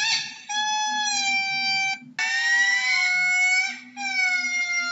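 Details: Lemur calling with long, steady, high wailing tones, each held for one to two seconds and slightly rising, separated by brief breaks; a faint low hum runs underneath.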